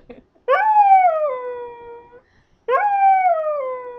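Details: Two loud howls from Duff, a Scottish terrier provoked into singing, each one starting high, dropping in pitch and then holding a lower drawn-out note, with a short silence between them.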